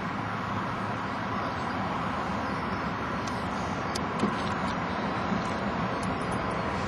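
Steady road traffic and vehicle engine noise fill the recording, with no animal calls.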